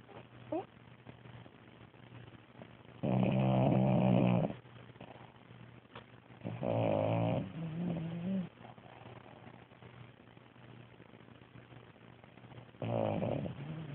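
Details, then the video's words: Loud, rattling snores from a French Bulldog, recorded 11 December 2010, coming in one- to two-second bursts several seconds apart with quieter breaths between, over a faint low hum. "French bulldog snoring"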